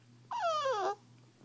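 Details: Old English Bulldog and Pit Bull mix puppy, 6–7 weeks old and a "talker," gives one drawn-out, falling whine, like it is talking.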